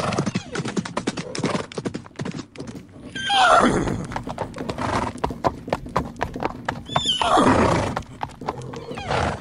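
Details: Two horses fighting wildly; shrill, harsh neighs burst out twice amid a rapid clatter of hooves and thumps, with faint music underneath.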